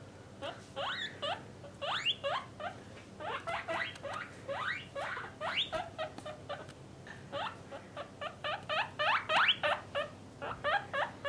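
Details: Pet guinea pigs, a parent and offspring family kept in separate cages for males and females, give rapid strings of high, rising squeaky whistles, several per second, in bursts with short pauses and soft rustling beneath.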